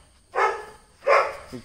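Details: Dachshund described as a small but fearless dog showing some toughness, giving two short, sharp barks about half a second apart, each a broad, harsh burst, with quiet pauses around them.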